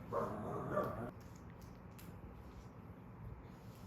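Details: Pet dog staying at a dog-friendly pool villa in Gapyeong, South Korea, on a first summer holiday with a baby. Two short tonal yips in the first second, then only quiet indoor room tone.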